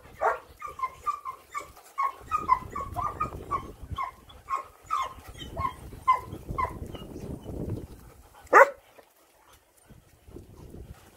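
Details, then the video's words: Rough Collie dog that loves water, giving a quick string of short, high, yelping whines and whimpers, many in the first eight seconds, with splashing and rustling water noise, then a single sharp bark before near silence. "러프콜리 강아지는 물을 너무 좋아해여"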